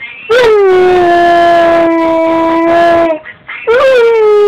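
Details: Six-month-old male Siberian husky puppy singing along to a pop song: a long, smooth tonal howl held at a steady pitch for nearly three seconds, a brief break, then a second howl that rises slightly before easing down.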